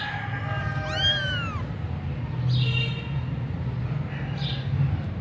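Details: Persian punch-face kitten in Gujranwala giving one clear meow that rises and then falls, followed by a steady low hum and faint high chirps in the background.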